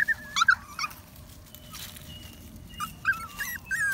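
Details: Puppy walking in the woods, giving high, thin whimpers and yips in two short bursts, some bending up and down in pitch, separated by a quieter pause with rustling outdoor background.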